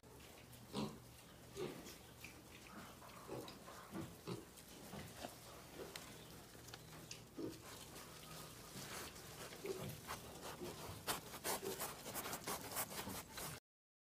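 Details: Caipira pigs on a farm heard faintly: soft, short grunts repeated roughly every second, with occasional brief sharper squeaks toward the end over a low background hum.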